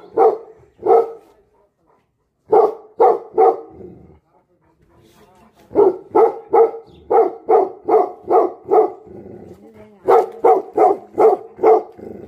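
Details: Tibetan Mastiff dogs bark angrily in clusters of deep, forceful barks separated by brief silences, with fast runs of six or more barks near the end.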